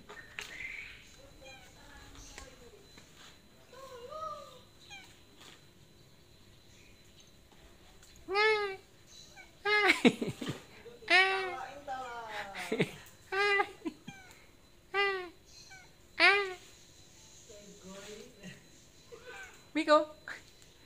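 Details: Miko, a cat stuck up on the roof tiles and unable to climb back down, meows repeatedly: loud, arched, rising-then-falling cries in irregular bursts, some run together, while people below talk and coax it to come down.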